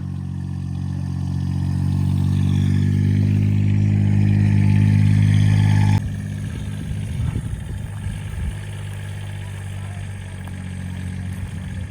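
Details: A vehicle engine rumbles low and steady, building for about six seconds before dropping to a rougher, uneven idle, with faint voices in the background.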